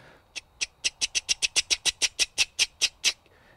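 A cricket frog gives a rapid series of sharp, dry clicks, like a toy clicker being snapped.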